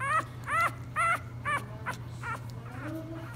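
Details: A 3-week-old English Bulldog puppy cries after a feeding in short, high, wavering whimpers repeated about every half second.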